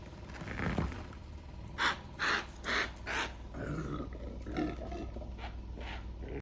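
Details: Impala at Gaborone Game Reserve, Botswana, filmed in 2024 while leaping; four harsh, evenly spaced barking bursts in quick succession, then quieter rough calls over low outdoor rumble.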